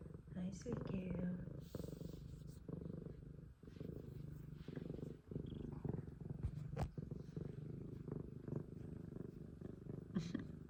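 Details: Extremely loud purr of a pet F2 Savannah cat, a sustained low vibrating rumble with breath-linked swells and short dips, overlaid by occasional human voice and small clicks.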